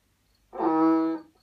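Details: A banded bullfrog (Kaloula pulchra, Asian bullfrog) gives one low, drawn-out, mooing note lasting under a second as its call.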